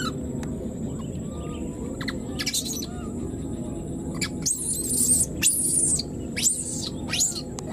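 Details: Wild newborn baby monkey, left behind, calling for its mother: a run of loud, shrill, arched squeals in quick succession over the second half, after a few fainter sharp notes, against a steady low background hum.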